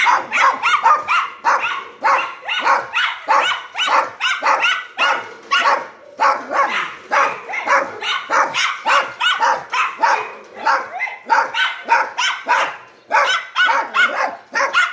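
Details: Dog barking nonstop for fifteen seconds: a dense, loud run of harsh barks of around a hundred per minute, uneven in spacing and at times nearly overlapping.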